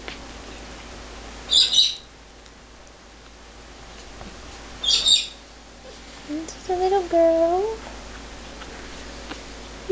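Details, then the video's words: Eighteen-day-old red Shih Tzu puppies, AKC registered, born November 2010 to Oshi and Jersey, held as lap dogs: two sharp high squeaks near two and five seconds, then a wavering, rising-and-falling whine lasting over a second, with soft indoor room noise. "Shih Tzu puppies"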